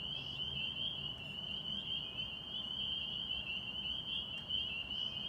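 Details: A dense springtime chorus of spring peepers (Pseudacris crucifer) at a Massachusetts pond, high piping peeps blending into one continuous shrill ringing.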